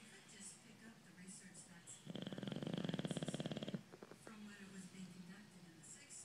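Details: A male bulldog gives one loud, buzzy snore lasting under two seconds, a rapid rattling pulse, set between softer low breathing sounds.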